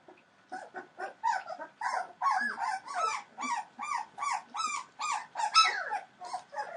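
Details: Three-week-old Entlebucher Mountain Dog puppies from a litter born 28 December 2013, with several pups crying at once; overlapping squeaky whimpers and yelps form a continuous, uneven chorus of short rising-falling cries over a faint background hiss.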